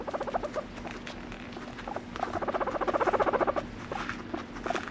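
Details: Pet guinea pig, presented as a frightening cry, giving rapid bursts of short harmonic squeaky pulses, quick and uneven, in several runs, with a steady low hum underneath.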